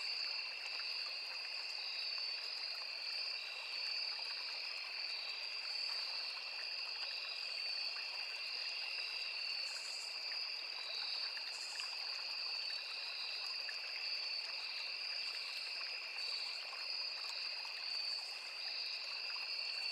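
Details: Crickets and fellow insects calling without pause in a forest beside a small river, a piercing layered trill with a pulsing top note and scattered short bright buzzes, set against a gentle running-water hiss.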